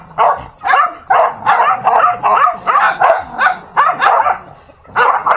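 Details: Fighting dogs give rough snarls and barking bursts, roughly two or three per second and unevenly spaced, with growling between the loud outbursts.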